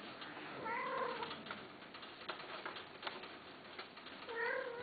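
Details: Himalayan (Shirazi) cats, female and male, during mating: two drawn-out harmonic meows, one near the start and one at the end, separated by a quieter stretch with faint clicks and background noise.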